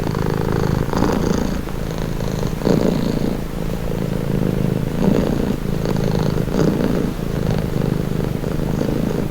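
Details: A cat purring soothingly: an even, low, buzzing drone that pulses rapidly and rises and falls in breath-length cycles of roughly two seconds, steady throughout.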